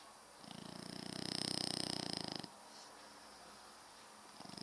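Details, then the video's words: Snoring French Bulldog, kept with a second Frenchie as pets, heard indoors: one buzzy, pulsing inhalation of about two seconds that rises to a peak midway, then cuts off into near silence and faint room noise. "Massive snoring frenchbulldog!"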